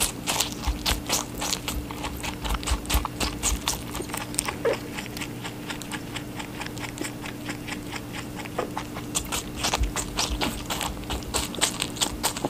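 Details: Rabbit feeding on watermelon, giving quick repeated crunching chews in runs of several per second, broken by short pauses, over a low constant electrical hum.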